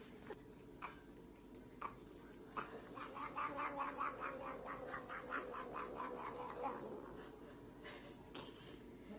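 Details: Domestic cat giving a fast run of short chattering meow-like pulses, about two per second, building in the middle then easing off, with faint clicks and background noise indoors.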